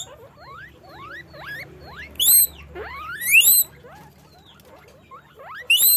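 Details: Guinea pigs in a farm cage give a series of rising squeaks, small upward chirps building to two loud, long, shrill wheeks that climb steeply, then a quiet pause and one more sharp squeal at the end.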